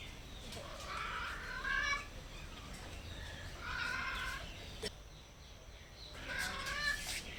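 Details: Hungry stray cats meow softly as they seek food and a safe place. Three drawn-out, tonal meows come a few seconds apart, with a sharp click midway and a steady low hum underneath.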